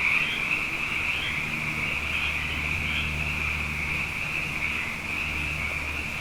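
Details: Nighttime frog chorus after two wet years running: many callers blend into a continuous high trill, slightly softer here, with brief rising notes near the start and a steady low hum beneath.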